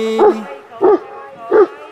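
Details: Leo, an 11-year-old dog, whines and barks because he wants the ball that another dog, Rush, is holding. Three short, yelping barks with a whiny rise-and-fall come about every two-thirds of a second, over a steady faint tone.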